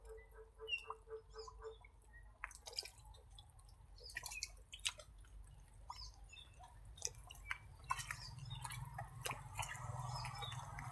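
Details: Caged frogs calling, not yet bred because water is lacking: a short, quick run of about seven low, evenly spaced croaking pulses opens, followed by scattered clicks, drips and handling noises in a small space.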